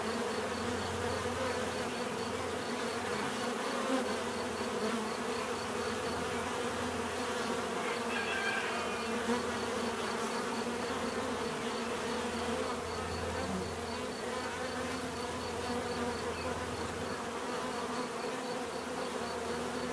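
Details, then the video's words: Many bees hum in a steady natural buzz, layered with a deeper low droning band that swells and fades at intervals, and a faint regular high-pitched pulse behind. "bees therapy relaxing natural buzzing sound"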